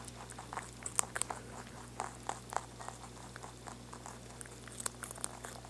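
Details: A rabbit chewing, with quick, crisp crunching clicks in irregular bursts over a low steady hum.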